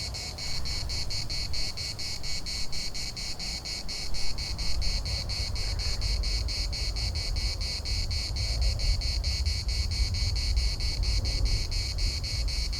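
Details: Cicadas chorusing in the municipal park in Larnaca: a dense, rapidly pulsing high buzz, beats steady throughout, over a continuous low rumble of wind.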